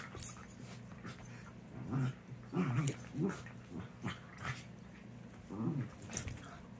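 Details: Two dogs, Sadie and Leia, playing indoors; low rumbling growls come in short bursts every second or so, with scuffling and paw taps between them and a steady low hum underneath.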